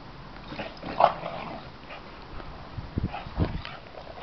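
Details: Two Boxer dogs playing together make a brief high yelp, then low grunting growls a couple of seconds later, over steady background noise.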